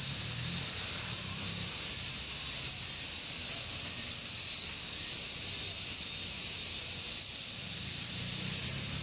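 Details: Steady hissing drone of a large brown cicada in summer, dense and constant from start to end, with scattered low murmuring sounds below; a 'semi-shigure' cicada shower.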